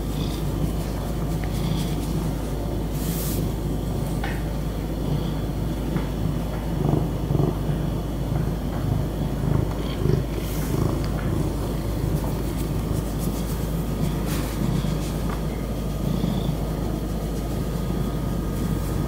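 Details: A happy domestic cat purring: a steady, low, continuous rumble that swells and eases slightly throughout, with a few faint clicks and soft rustles on top.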